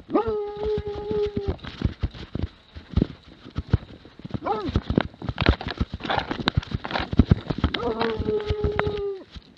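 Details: Plott hound from 2017 holding long, steady baying howls of about a second and a half at start and end, a short arched bark between, over busy thumping and rustling noise.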